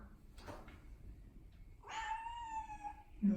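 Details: Domestic cat meowing as it tries to appeal for something: soft speech and room murmur first, then one long, steady, harmonic-rich meow lasting over a second, followed by a person's voice.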